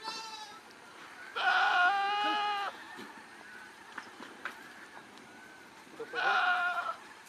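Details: Goats on a farm in Nagaon, Assam, India: two loud, harmonic, wavering bleats, one long and one shorter, separated by a few seconds of quieter background rustling and faint clicks.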